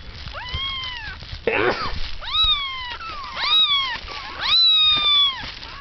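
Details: Kittens of the cat Kotsura, woken from sleep after nursing when startled by a sneeze, give a run of high, clear meows, each rising sharply then sliding gently down, overlapping and repeated about every second, with a brief rustling burst.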